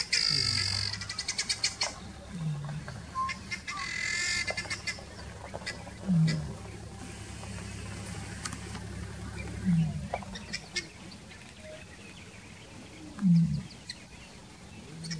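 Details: A lion in Nairobi National Park, used to people, gives deep, grunting roars about every three and a half seconds over an idling vehicle engine.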